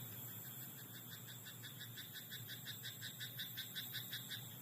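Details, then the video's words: Frog in a rice paddy after dark, giving a steady train of short buzzy croaks at about three per second, set against a continuous high drone and a faint low rumble. "田んぼのカエル "Croaking frog in rice paddy at night""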